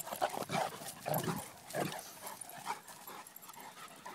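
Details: Two dogs playing and chasing, a solid grey 17-month-old Cane Corso named Zeus and a salt-and-pepper 8-month-old miniature schnauzer named Maximus: a run of short, whiny yips and whimpers in quick, irregular bursts over the first two seconds, then quieter scuffling.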